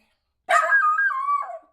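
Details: Eight-month-old miniature schnauzer indoors, worked up over a favourite ball while being urged to get it: one drawn-out, whining bark-howl lasting over a second, starting harsh then sliding into a wavering tonal cry.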